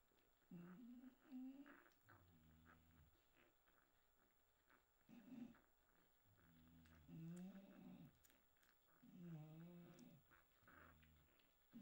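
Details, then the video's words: Pedigree English Bulldog puppies born 6 September 2022 whimper through their first night. Short wavering whines come every few seconds, with low pulsing breathing sounds between them, indoors and quiet. "première nuit des chiots bulldog anglais"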